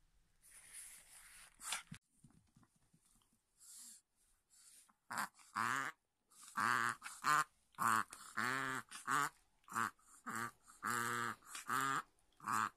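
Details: A Chihuahua, excited before treats, meals or play, reverse sneezes in a rapid run of honking, snorting gasps, a "boo-boo" then "keh" sound that happens almost daily.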